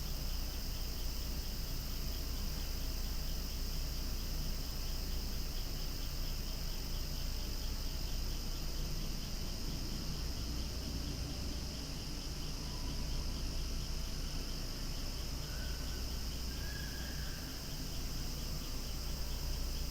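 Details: Cicadas calling loudly outdoors beside swaying flowers, a steady dense droning buzz with no breaks, bright high bands holding throughout, the whole chorus continuous for twenty seconds.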